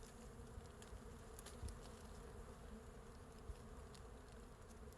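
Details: Steady hum of many bees on a large wild hive hanging from a branch in natural forest; low continuous droning with stable tonal bands and a few soft thumps.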